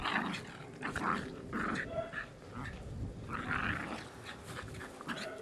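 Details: Household dogs making softer, rasping growls in short irregular bursts, with pauses between grumbles and a low room hum underneath.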